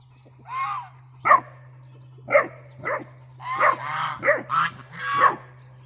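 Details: Great Dane puppy scolding guard geese about a raccoon suspected at the bird feeder; a drawn-out whiny bark, then quick barks and yips bunching together toward the end, low hum throughout.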